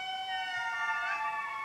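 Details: An indri family group in a Madagascar forest gives its morning call: long, siren-like wails, one voice sliding upward. The call marks territory, warns other indri to keep away, and carries over 2 km.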